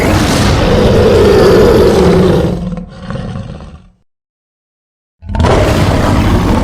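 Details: Lion giving a long, loud, rasping roar of about two and a half seconds that fades into a lower grumbling growl, then silence, then another harsh roar starts.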